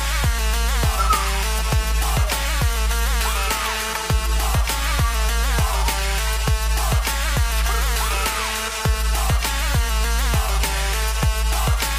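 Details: Loud electronic dance music with heavy bass and a steady beat throughout, with no animal sound heard.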